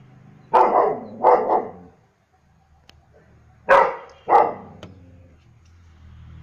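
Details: German Shepherd dog barking: two pairs of loud, harsh barks, the first pair near the start and the second after a short quiet gap, over a low background hum.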